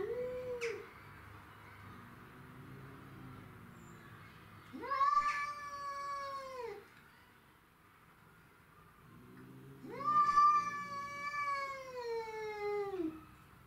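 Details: Territorial fight between domestic shorthair cats, including Tom, Mimi and a stray: two long, loud wailing yowls about five seconds apart, each swelling and dropping, with low growling murmurs between them.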